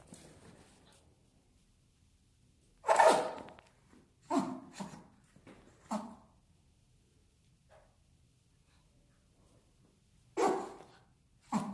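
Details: A pet dog sneezing indoors in a small room: about six short, sharp, breathy bursts spread across twelve seconds, with the loudest near the start and a quick pair close together, and quiet pauses between them.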